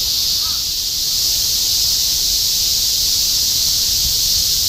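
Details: Cicadas in continuous summer chorus in Shinjuku, Tokyo, 2016: a dense, unbroken high buzzing hiss filling the air at steady loudness, with faint low city rumble beneath.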